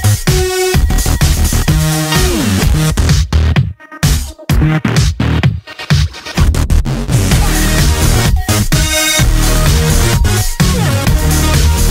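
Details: Loud electronic dance music with a steady thumping beat and brief drops fills the recording; no animal is heard.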